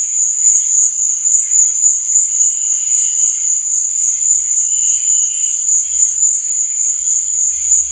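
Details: Crickets at night: a dense, unbroken high shrill trill pulses steadily throughout, with faint softer chirps drifting below it and a few low thumps near the end.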